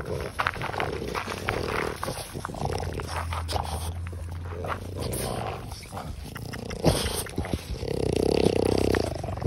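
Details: Six-year-old female French Bulldog Pipari, offered for adoption by a Hamamatsu, Shizuoka breeder, breathes in wet, throaty snorts and low rumbling grunts that come in bursts, with faint rustling and handling noises between.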